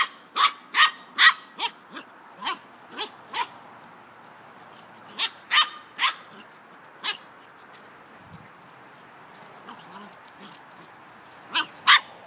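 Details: English Setter and a small, energetic Dogo Argentino playing together: sharp, bright barks in quick irregular bursts, about two or three a second, pausing midway, with a steady high electrical whine throughout.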